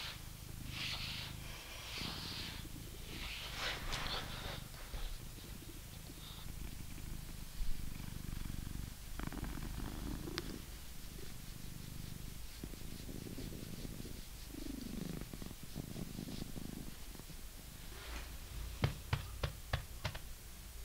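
A British Shorthair cat gives a deep, even purr that rumbles on without pause. Rhythmic scratchy strokes of a brush sound over it, with a few sharp clicks near the end.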